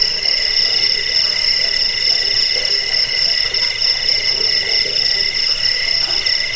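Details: Cricket sound offered as a rat repellent, sleep aid and tutor recording for songbirds: a steady, shrill, high-pitched trill runs without a break, with fainter layered buzzing beneath and a soft pulsing shimmer at the top.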